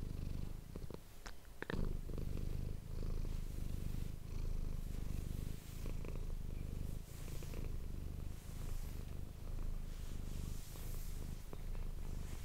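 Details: Pet cat Manis purring for an ASMR recording indoors; low throaty rumble in breathing waves, with a few sharp rustling handling noises near the start.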